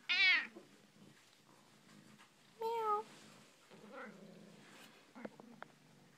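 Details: Domestic cat meowing back and forth with its owner in a room: a loud bright meow at the start, another clear meow near the middle, then softer chirpy sounds and small clicks.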